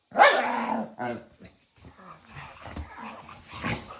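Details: Two pet dogs that act like a married couple argue nose-to-nose with playful love bites; a loud harmonic yap opens, followed by shorter yips, snorts and scattered low growly sounds indoors.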